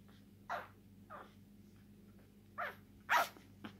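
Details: A one-day-old male English Bulldog puppy, lilac tri merle, born 27 September 2019, gives short, squeaky whimpers, each with a quick falling tail: English Bulldog.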